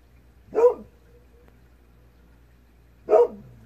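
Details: Kohaku the Golden Retriever answers a far-off fox at twilight with two single barks spaced about two and a half seconds apart, against a quiet, low hum.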